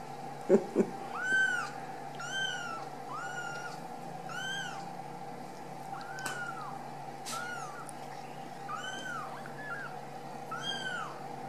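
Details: Ragdoll kittens out of the nest at a home cattery in central Kansas, raised without cages, giving high, arched meows about once a second, overlapping from several kittens, with a steady hum behind them and two soft knocks near the start.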